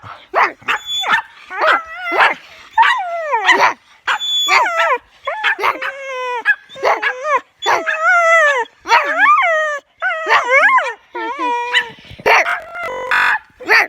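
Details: Pet dog making strange vocal sounds at home: a rapid string of high, wavering whines and yelps that slide up and down, some drawn into short howls, with brief gaps between bursts and a noisy burst near the end.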